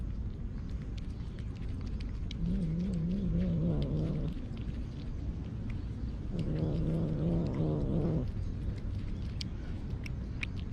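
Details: Low wavering grumble from a stray cat protecting its meal, two drawn-out growls of about two seconds each, separated by a pause, against a constant low-pitched background hum.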